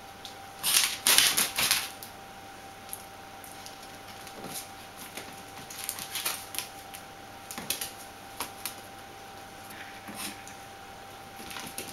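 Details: Sharp clicking and tapping bursts over a steady electrical tone and a faint hum indoors, with no animal voice heard.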